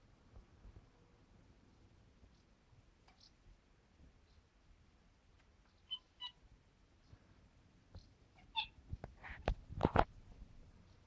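A British Shorthair cat chatters at birds in short, clicking, chirpy bursts between quiet pauses.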